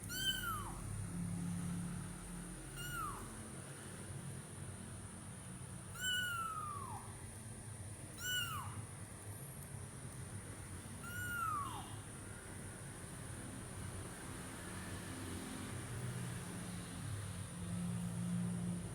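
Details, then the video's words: A kitten at Taman Asuhan Residential Complex gives five short, high meows that drop in pitch, spaced two to three seconds apart, then falls quiet against a steady low rumble and a faint high whine. "Kitten MEOWING"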